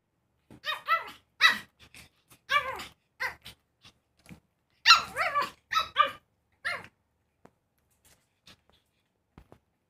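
A pug puppy lets out high, yappy barks in short irregular bursts with small growly edges.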